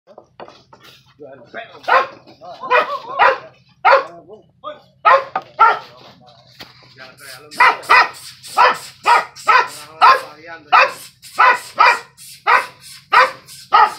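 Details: Dog confronting a skunk, barking repeatedly: a long run of sharp, harmonic barks, spaced about every half second and growing steadier and louder in the second half, over a faint low hum.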